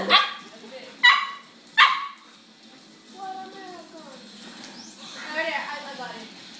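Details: Pet pit bull and Lhasa Apso at play: three abrupt barks spaced roughly a second apart, then a woman's affectionate speech over quiet room noise.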